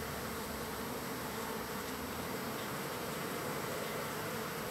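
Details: Crowd of wild bees arriving to be fed on the third day, heard as an unbroken hiss-like hum with faint buzzing bands under a broad noisy wash, steady in volume from start to finish.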